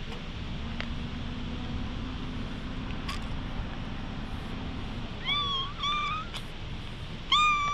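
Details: Stray cat, filmed on a GoPro HERO8 while being patted, gives three short rising meows in the last few seconds over a steady low engine-like hum that fills the earlier part.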